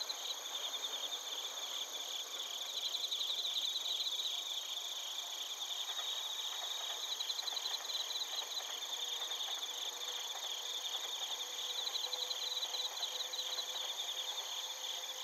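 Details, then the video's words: Bell crickets and crickets singing in Narita, Chiba prefecture, Japan, captured with a TASCAM Portacapture X8: a steady wall of shrill ringing tones with bursts of rapid pulsed chirping recurring every few seconds. "スズムシとコオロギの鳴き声 - Chirping of crickets"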